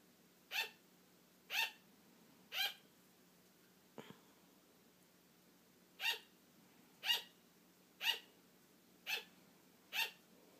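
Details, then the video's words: Indoor pet sugar glider, female, barking to keep her sleepy owner playing; three sharp yaps a second apart, a faint click and a two-second gap, then five more evenly spaced barks. "Sugar glider barking for attention"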